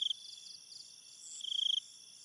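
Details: Night cricket chirps, two short sharp pulsed bursts, one at the start and a longer one after a pause, over a faint continuous high insect hum.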